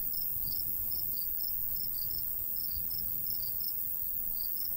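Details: Countryside crickets in summertime near a golden wheat field give evenly spaced high chirps, some paired, about two to three a second, with a low wind rumble behind.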